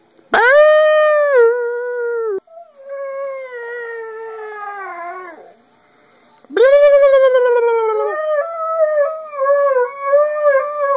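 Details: Part-husky dog howling at its owner as its way of talking: two long, harmonic-rich howls, each starting high and sliding gradually downward, then a wavering, rising-and-falling vocal run near the end; a short quiet gap between.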